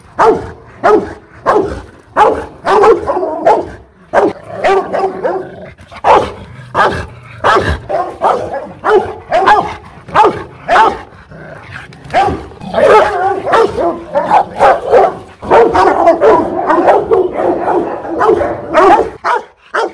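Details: Fierce Rottweiler barking at a kennel in Hanoi, Vietnam: twenty seconds of nearly continuous, loud, rasping barks in fast, uneven volleys, with overlapping rough woofs that thicken in the last few seconds.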